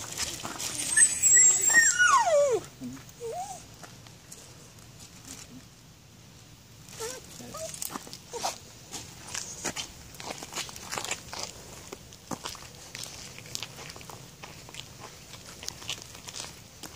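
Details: During a nosework search for two kids, a Patterdale Terrier lets out a high whine sliding steeply downward, followed by a few softer short whimpers amid rustling, scattered clicks and movement noise.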